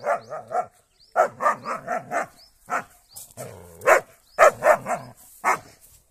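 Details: German Shepherd on the attack against a cow, giving rapid, harsh barks in tight volleys, nearly continuous over several seconds, some with a deep undulating growl-like tone underneath.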